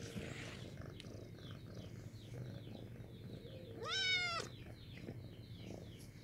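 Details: Single bright meow from a pretty white house cat inviting acquaintance, rising sharply and sliding down at the end, with faint high chirps and low hum around it.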